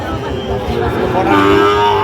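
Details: Lowing of a Sahiwal bull at a busy cattle market on 31 January 2025: a short tonal moo swelling in the second half over steady background chatter and market hubbub.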